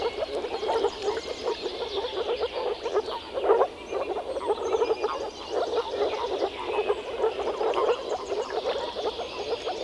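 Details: Male moor frogs gathered to mate in a small forest pond in early spring give soft, hollow, bubbling calls from their vocal sacs, overlapping continuously in a chorus.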